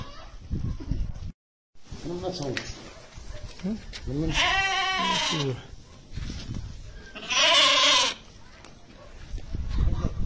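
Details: Montbéliarde cow kept with a Montbéliarde calf in El Jadida, giving a full harmonic low lasting about a second, then a shorter, brighter call, amid nearby human speech and rustling stable noise.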